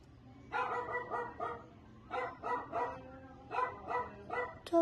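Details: Dog barking outside, heard from indoors: three quick bursts of about three sharp barks each, spaced roughly a second apart, with faint background hum and a brief click at the end.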